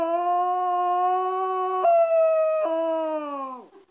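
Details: Pet Schnauzer 'singing': one loud, sustained, tonal howl lasting over three seconds. The pitch holds steady, dips in two small steps, then slides down and fades at the end. No other sounds.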